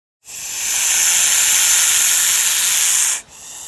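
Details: A single sustained, forceful King Cobra hiss of about three seconds, broad and airy, given as a warning, ending abruptly into a faint softer breath.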